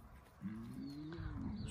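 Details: Lion in Crimea, near lioness Simona and Sultan; a low, sustained tonal growl lasting over a second, rising slightly in pitch before fading, with faint background noise.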